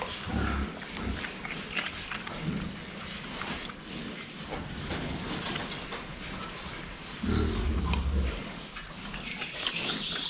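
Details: Pigs filmed from the front while drinking water; low, short grunts near the start and a longer, deeper grunting stretch after seven seconds, over steady clicking and slurping drinking sounds.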